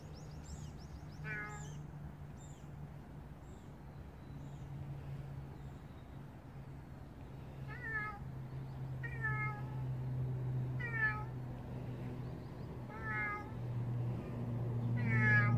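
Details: Big stray cat meowing repeatedly, short harmonic meows coming every one to two seconds in the second half, growing slightly louder; a low steady hum throughout and faint high chirps near the start.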